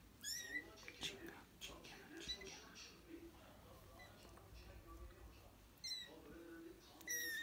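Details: British and Scottish kittens mewing: short, high-pitched squeaky mews near the start and twice near the end, with faint human voices and room noise in between.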